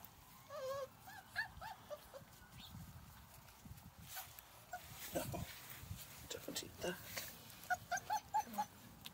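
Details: Bernese Mountain Dog puppies in a garden giving short, high, squeaky whines in clusters near the start and again near the end, with people talking and rustling between.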